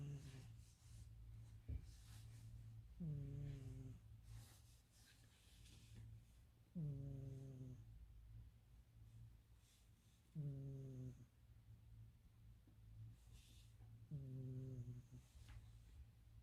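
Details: A cat asleep and snoring very loudly, almost human-like. Four deep, rasping in-breath snores come roughly every three and a half seconds, with quiet breathing between them and a constant low hum in a small room.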